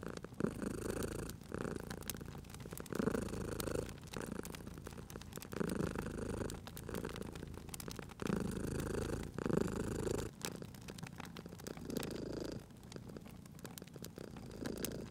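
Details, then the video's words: Domestic cat purring beside a crackling fireplace in a cozy spring setting: steady low rumbling purr in pulsing breaths, broken by sharp pops and snaps of burning wood throughout. "Cute Purring Cat at a Crackling Fireplace"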